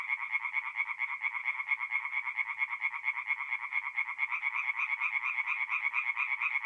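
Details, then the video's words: Singing tree frogs at a North-East Italian forest pond by night in mid-April, a steady, even train of quick nasal pulses from several frogs, unbroken and uniform throughout. "relaxing forest pond by night with singing tree frogs"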